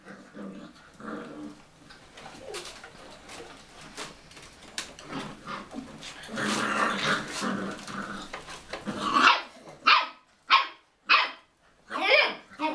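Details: Cocker Spaniel having fun in a bathroom: a long stretch of rumbling, grumbly growling and whining builds up, then breaks into a series of five short, loud barks spaced about a second apart.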